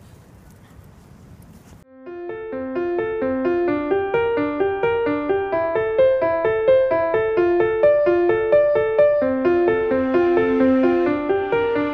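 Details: Faint hiss gives way to steady, rhythmic electric piano music, with no animal sounds.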